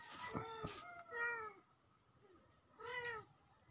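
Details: Two young kittens, recorded October 17, 2024; three short meows, each rising then falling, spaced over nearly four seconds, with a couple of sharp clicks near the start and a quiet room behind.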